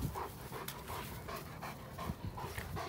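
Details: Pause on a Saturday morning walk with George and Henry, two large working-line German Shepherd brothers. Steady, breathy panting is repeated roughly every third of a second, over a low rumble of outdoor noise.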